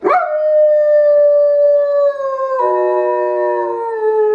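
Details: German Shepherd dog howling along with the wolves from the film Zootopia: a long, steady, mid-pitched howl that glides slowly downward, then overlapping howling voices join in and sink lower together until the end.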